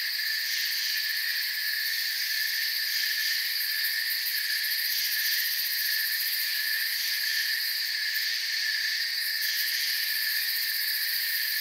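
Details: Continuous cricket chirping fills a calm forest soundscape: a steady, piercing trill layered at several high pitches. Brief pulsed bursts stand out in the top tones near the end.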